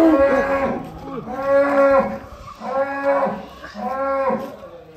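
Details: Cattle lowing in a series of four drawn-out, harmonic moos, each lasting about a second with a brief gap between, the pitch swelling slightly and then sagging, heard clearly with little background noise.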